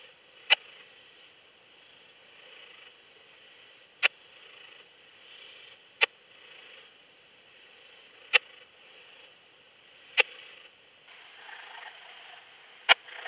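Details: Yersinella raymondi, Raymond's bush-cricket, Lido di Spina, Italy, 3 September 2021, via ultrasound detector: six lone sharp ticks spread over thirteen seconds at uneven gaps of two to four seconds, faint hiss throughout.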